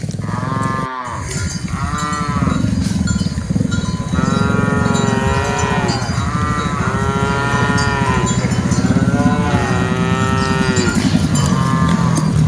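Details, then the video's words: Many cattle in a herd of dozens on the move low over one another in a near-continuous chorus of overlapping moos. Heavy low rumbling, knocking and bell-like clanks sit beneath the calls. "Aktivitas Mengiring Puluhan Sapi Lembu Lucu Suara Moo - Suara Sapi Moo Yang Lucu"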